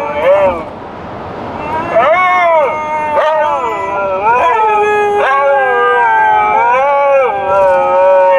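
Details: Dogs singing in a car: a series of arching, wavering howls repeated every second or so, each sliding up then down, overlapping and continuing throughout.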